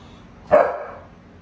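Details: Pit Bull named Mary, a female pet dog indoors, complaining because she is bored and wants to go out on the deck while a hot grill is on; a single short bark, then quiet room.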